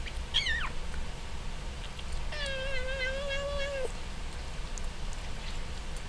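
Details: Pet cat meowing while chewing its food: a short falling meow, then a long, steady, slightly wavering meow lasting about a second and a half, over low, constant chewing and background noise.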